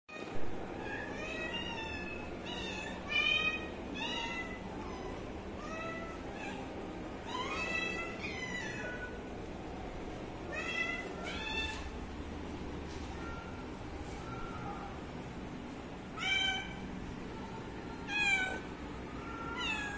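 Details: Baby cat filmed while drinking water, giving high, harmonic meows in short clusters, many rising then falling, scattered through the recording with pauses between bursts, over a steady low background hum.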